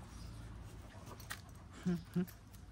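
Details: Kangal puppies, eleven months old, in Alanya, Antalya, Türkiye, on 16 June 2024: two short, low whines about a third of a second apart. Before them comes a quiet background murmur and a brief knock of handling noise.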